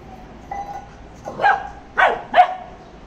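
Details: Maara, a Labrador Retriever, barking during angry play time: three short, sharp barks in quick succession, the last two close together, over a quiet background with a faint steady tone.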